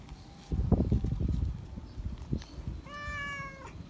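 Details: Feral cat meowing loudly for attention and affection from a familiar person. Low rustling and thumping handling noise fills the first half, then one clear, steady, harmonic meow lasting under a second near the end.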